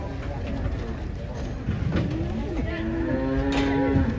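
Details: A huge cow comes down off a truck amid handlers' shouted warnings. Low scuffling and talk give way to a sustained, level moo in the last second and a half, with vehicle noise in the background.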